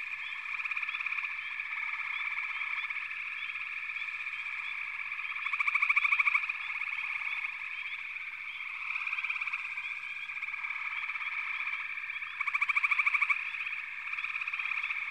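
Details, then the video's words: Frog chorus in a backwater: a dense, steady high droning band with short rising chirps scattered throughout, and louder pulsed trills swelling up around six and thirteen seconds. "FROGS - Pig Frogs, Water Frogs, Backwater Chorus, & Frog Chorus"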